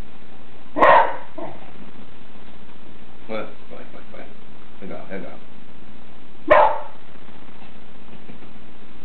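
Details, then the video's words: Beagle imitating the word "Ah-Gong", grandpa in Taiwanese: a single loud two-part yowl, then a person speaking softly for a few seconds, then another short yowling utterance. "A Beagle Knows How to Speak."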